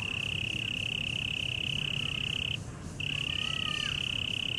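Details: Cricket singing in Taipei Botanical Garden, Taiwan: a continuous high-pitched trill, unbroken for over two seconds, pausing briefly before starting again; a few faint sliding whistles in the background over a low rumble.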